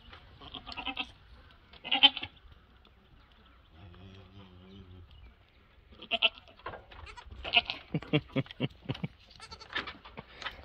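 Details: Goats at a farm where a two-week-old mini Nubian kid meets a Nigerian Dwarf herd; several short bleats, a deeper drawn-out lowing call midway, then a quick run of clipped, stuttering cries.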